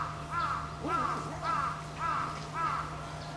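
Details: Angry female Pallas's cat rebuffing a male's mating attempt at Saitama Children's Zoo, Japan; five evenly spaced, arched, harmonic yelps, about two per second, over a low steady hum.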